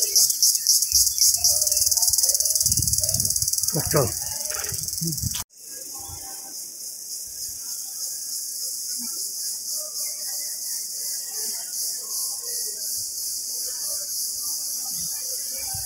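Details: Indian cicada in jungle near Bankura, India: its shrill, high buzzing drone fills the air, pulsing at first and then settling into a steady hiss.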